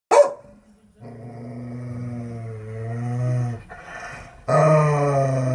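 A Rottweiler gives a deep, rumbling growl that swells and wavers over several seconds.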